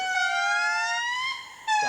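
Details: An indri in Madagascar forest sings sustained, clear, siren-like wails that hold steady and glide upward; heard from miles away, this territorial call announces the group's claim to its patch of forest.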